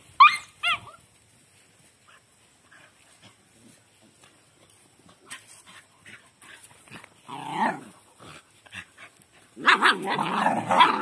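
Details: Dogs playing with and training a puppy: a couple of short, high, bending yelps open, then a quiet stretch of soft shuffling, followed by harsh, noisy growling bursts near the end.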